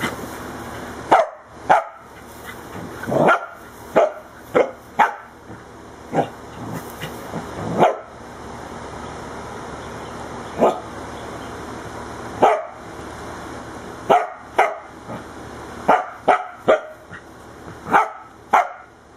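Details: A corgi attacking the camera and tripod barks in short, sharp bursts, some singly and some in quick pairs.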